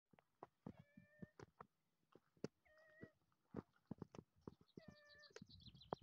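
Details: Domestic cat kept as a pet, one that always wants to eat, giving three short, quiet, level meows about two seconds apart amid frequent sharp clicking and tapping noises indoors.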